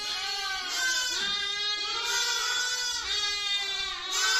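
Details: A lamb (young sheep, Ovis aries) bleats in a high, wavering voice, the calls running one into the next.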